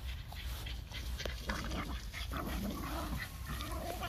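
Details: Four pet Boston Terriers, puppies and an older dog, playing together: low rough grumbles and short whiny vocal bursts come in uneven spurts amid scuffling and a steady low background rumble.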